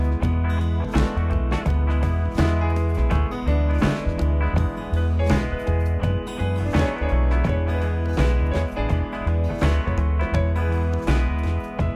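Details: Steady instrumental music with a heavy bass beat and guitar-like tones plays throughout. No animal voice can be picked out.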